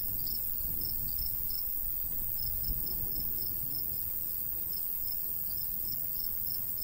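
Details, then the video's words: Short, sharp cricket chirps pour from a golden wheat field on a summer countryside day, about three a second in slightly irregular rhythm, above a continuous high insect hiss and low breeze noise. "Countryside/cricket sounds"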